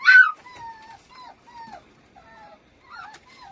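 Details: Dapple puppy indoors: one loud squeal at the start, then a series of thin, high whistled whimpers, each falling slightly and lasting about half a second.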